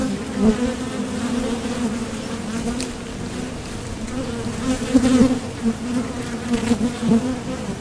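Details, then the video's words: Honeybees recorded right at the entrance of a Top Bar Hive, flying out to and back from nectar foraging; an even low humming drone with a louder swell near five seconds. "Bees Sound Effects"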